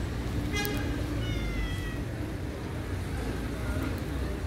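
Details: Domestic cats on the stairs, waiting for attention, give two thin, high meows, a short one then a longer falling one, within the first two seconds over a steady low rumbling background.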